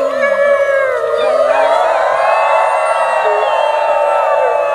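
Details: Wolfgang, alpha wolf of the Main Pack, taking the lead in a final group howl at Howl Night; long overlapping howls slide and waver over a steady sustained tone, with crowd voices mixed in.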